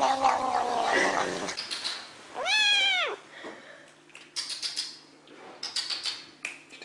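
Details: Domestic cat with one loud, arched meow that rises and falls in under a second, between stretches of rustling, handling noise and brief hissy sounds.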